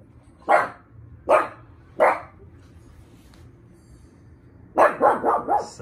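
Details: Three separate sharp barks from a pug about a second apart, a pause, then a fast cluster of four barks at the end, with low background hum.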